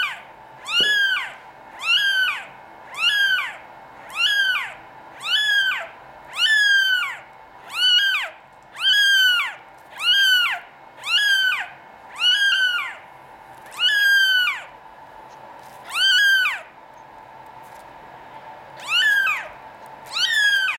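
Norwegian Forest Cat kittens meow over and over, each call a thin, high cry that rises and then drops away. The meows come roughly once a second, with a few longer pauses near the end.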